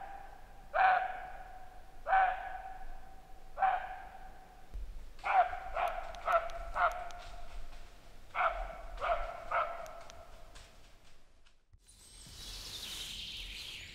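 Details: Roe deer barking near a kids' hammock campout: a series of about ten short, hoarse, harmonic barks, first spaced over a second apart, then in quicker clusters, ending with a brief burst of rustling noise.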